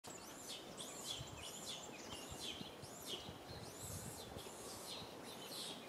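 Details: Little monkey Rain crying loudly up in a tree, asking mother Rany for milk: high, arched, whining wails repeated roughly every half second over steady outdoor background noise.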